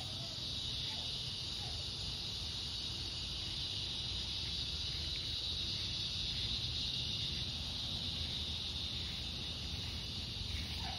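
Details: Cicadas at dusk on an August 4th summer evening give a steady, high, hissing buzz that holds without a break over a low background rumble.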